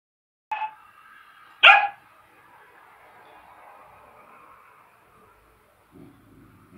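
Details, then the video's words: White Samoyed dog looking at its reflection in a mirror, giving two short sharp barks about a second apart, the second louder, followed by a faint lingering tone and a low rumble near the end. "Белый самоед смотрит на свое отражение в зеркале"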